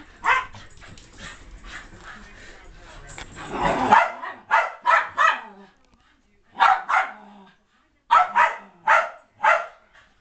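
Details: Keeshond playing indoors, chasing a small mixed-breed dog around the house; sharp high yipping barks come in quick clusters of two to four, with scuffling and rustling between them.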